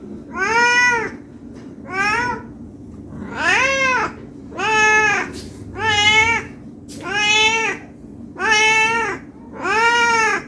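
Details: ['Eight evenly spaced meows from a hungry cat demanding food, each rising then falling and repeated about every 1.3 seconds in a steady, persistent rhythm, with a quiet room behind.']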